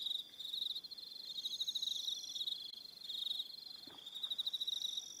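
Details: Evening cricket chorus on Aroha Island, New Zealand: dense, steady high trilling with rapid pulsed chirps layered together, a few higher whistle-like tones drifting over the top, no other sounds.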